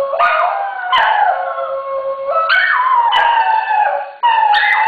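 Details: Alto Kuki and soprano Krim, two dogs, perform a howling duet: a continuous run of overlapping howls with repeated step-like rises and falls in pitch, one voice high and one lower, barely pausing before a final loud entry.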